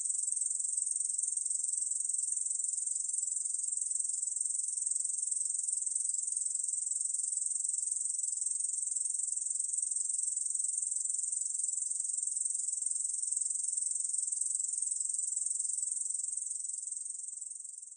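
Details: Korean field katydid, recording from the National Institute of Biological Resources, 2020: an unbroken, high, hissing buzz holds steady for the whole stretch with no pauses and fades slightly at the very end; no other sounds.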